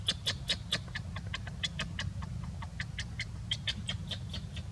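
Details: A sleepy young wild monkey, resting in the jungle, gives a quick run of soft, high chirps and clicks over a low background rumble; monkey.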